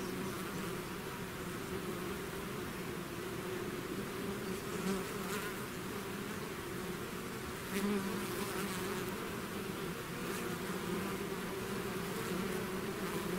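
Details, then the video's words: Bee swarm leaving its hive, a dense natural buzzing: steady overlapping drone with strong low bands and a continuous hum, occasional louder passes of single bees close by. "bees therapy swarm natural buzzing sound"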